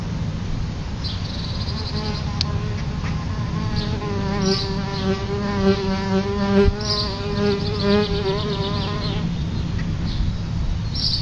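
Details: Droning hum of solitary bees near their nest by a house's front door. The buzz swells in from about three seconds, wavers slightly in pitch, holds for roughly six seconds, then fades, with brief high chirps heard now and then.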